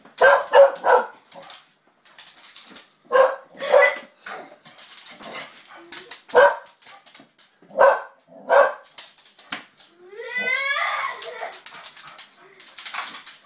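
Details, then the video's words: Playful springer spaniel with a young girl gives a burst of quick, punchy barks in pairs and singles, then a rising, wavering whine near the end, amid tapping and scuffling. "Mad dog springer spaniel"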